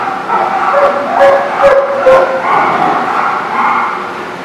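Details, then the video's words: Dogs barking on 29 November 2019, a run of four sharp barks about half a second apart followed by softer overlapping yaps and a steady background din. "The Barking Lot"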